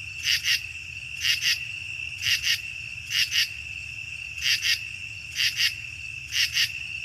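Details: A common true katydid, a mainly nocturnal insect in the Chicago region, gives a buzzing rasp in short paired or triple bursts, about one per second, over a steady high hum.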